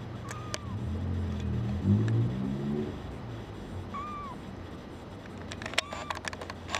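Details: Brown tabby and white male kitten, born 27 February 2011 and looking for a new home, gives three short, thin, arching mews spaced a few seconds apart over a steady low engine-like hum.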